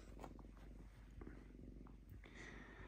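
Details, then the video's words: Lynx kept indoors in a home, calm and relaxed, purring: a soft, steady low rumble made of fine rapid pulses, with faint clicks and light rustling from paper. "Мурчание рыси"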